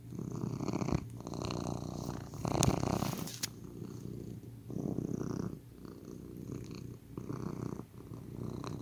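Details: Close, throaty purring of a domestic cat in pulsing bursts that follow its breathing, with a brief rustling noise partway through.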